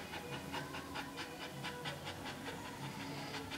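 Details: Staffordshire Bull Terrier bitch Rosie in labour in her whelping pen; fast breathy panting bursts roughly two to three per second over a steady background hiss.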